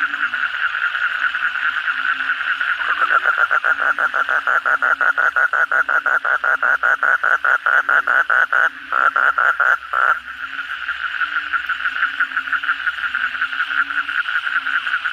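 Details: Frogs (kodok bangkong) in full voice at night after a downpour. A fast run of sharp, evenly spaced clicking notes starts near the third second and stops abruptly around the tenth. A dense chorus and a low droning tone continue throughout.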